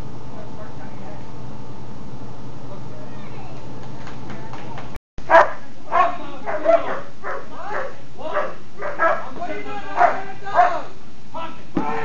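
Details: German Shepherd doing Schutzhund protection training with bark and hold exercises; a person speaks quietly at first, then after a brief gap the dog gives a run of loud, rough barks roughly every half second to second.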